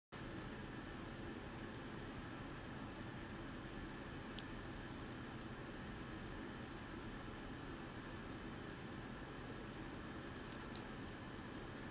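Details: Only a steady low rumble of room or machine noise is heard, with a few faint clicks and no animal calls.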